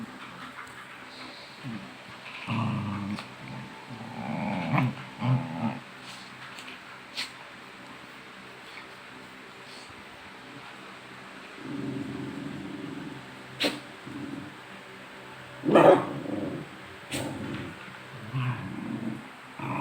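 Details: Pet dogs growling as they tease each other before chasing around; low, rough growl bursts come at intervals with quiet gaps between, along with a few sharp clicks and knocks.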